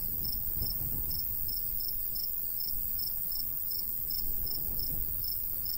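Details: Summer crickets chirping in countryside beside a golden wheat field: bright, high pulses come about twice a second in an even rhythm, with soft breeze rumbling low underneath.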